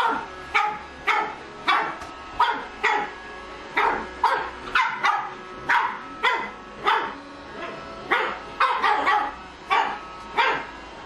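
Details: Pug puppy Empress Adina yaps at the working Roomba Tonio on first meeting it: a long run of roughly twenty short, shrill barks, some doubled, over a constant low humming motor.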